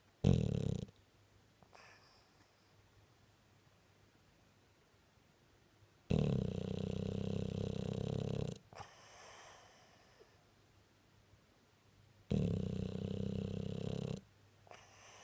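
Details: A Staffordshire bull terrier snores in deep, rasping breaths roughly every six seconds while sleeping and dreaming.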